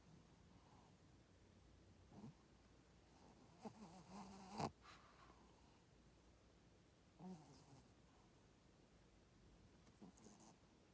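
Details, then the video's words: Snoring from a female Shih Tzu: quiet, wheezy breaths with a rough rasp, one longer grumbling snore in the middle and a few fainter puffs spaced several seconds apart over a low indoor hush. "シーズー娘の いびき"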